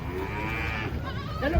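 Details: Giant cattle coming down off a truck during unloading: a low, muffled moo with soft harmonics that swells slightly, over a rumbling low background.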